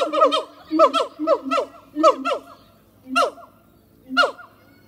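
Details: Harry and Mila, siamang gibbons at Zoo de La Fleche, singing on a hot summer morning, 6 August 2018: rapid series of loud rising-falling whoops in clustered bursts, then two spaced single barks near the end.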